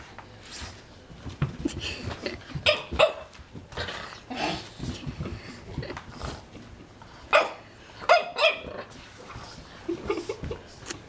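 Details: Baby Romeo, a French Bulldog puppy, barks at a magazine he is afraid of: sharp separate yaps in short bursts, a cluster near the middle and several more toward the end, with faint voices in a room between them.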